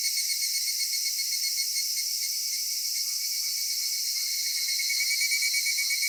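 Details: Cicadas droning on a summer evening in a Japanese cedar forest, a continuous high shimmering buzz. About halfway through, soft lower notes begin to repeat roughly three times a second beneath the chorus.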